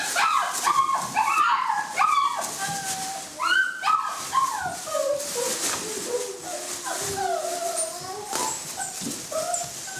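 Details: Saluki puppies of one litter chasing a lure, giving excited high whining yelps that slide up and down in pitch. Several voices overlap almost continuously, with rapid repeated cries throughout.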